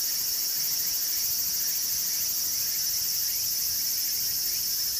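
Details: Walker's cicada (tsukutsukuboushi) singing. A continuous shrill, high drone is joined by quick, regularly repeated sweeping notes, giving a pulsing rhythm that never pauses.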